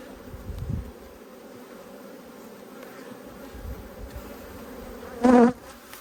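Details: Honey bees in a strong colony, opened during a hive inspection of the Black and White Hives in Australia on 5 February 2022, amid a food dearth; a steady low droning hum throughout, with a brief human voice near the end.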